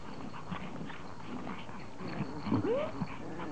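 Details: Pomeranians greeting their owner on her return from vacation, happy reunion; a high whine rises and bends near the end, with soft whimpers and background chatter and shuffling.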